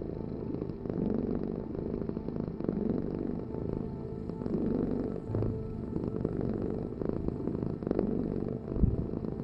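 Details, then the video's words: Cat purring in a continuous low vibrating rumble, swelling roughly every second and a half with its breathing, a brief soft thump near the end. "Heal with the ultimate cat purring vibration"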